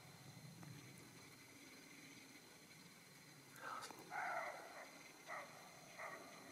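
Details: A young male roe deer gives a few short, hoarse barks, spaced about a second apart, over a quiet outdoor background.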